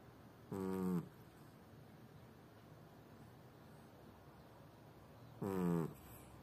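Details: Sleeping house cat named Tubby gives two brief nasal snores about five seconds apart, each a buzzy, slightly falling tone lasting half a second, over a faint steady background hiss.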